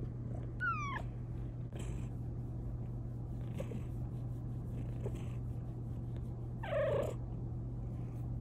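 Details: A female Bengal cat, just given a blanket-lined cat cave, gives a quick, bright meow that falls in pitch, then a lower, rougher meow seconds later, over a constant low hum and soft clicks.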